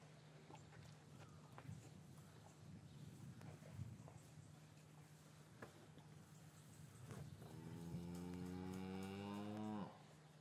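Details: Cattle lowing in an English cattle yard on a winter's afternoon after the calves were separated from their mothers; a single long harmonic moo swells near the end after several seconds of shuffling, hoof and yard noise with a steady low hum.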